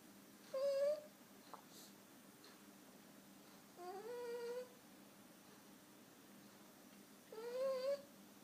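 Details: French Bulldog puppy Udon, five months old, asleep and snoring with unusual 'kuu-kuu' sounds: three soft, tonal, whine-like squeaks, each slightly rising and under a second long, spaced about three seconds apart over a steady low indoor hum.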